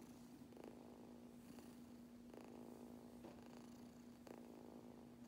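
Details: Steady low purring from a kitten being brushed, an unbroken hum beneath rhythmic brush strokes roughly every second, recorded quietly indoors.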